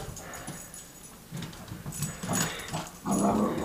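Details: Pepper, a normally quiet pet dog, barking and crying at her owner's brother for the first time; short yips give way to higher, drawn-out whimpering cries toward the end, over faint background room noise.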